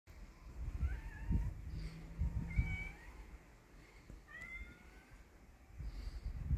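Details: Stray cats, a brave kitten facing an adult cat: a few faint, short rising and falling meows at intervals, heard over steady low rumbling street noise.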